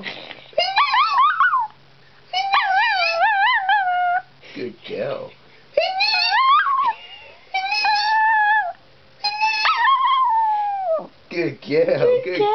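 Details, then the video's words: Pet dog howling in reply to a person's high-pitched squeals indoors: a run of wavering, rising and falling howls of about one to two seconds each, mixed with the human squealing. "doing her little howls"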